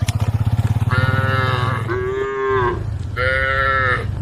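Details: A group of tame female cows on a road give loud, drawn-out moos with rich harmonics, calling the rest of the herd.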